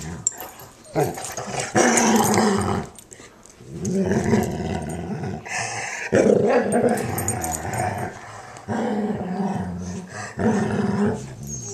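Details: As Weimaraner Roxie cleans the ear of her German Shorthaired Pointer sister Sadie, Sadie makes happy noises. Bursts of growly moaning and whining grumbles come in uneven waves, some rising in pitch, with short quiet gaps.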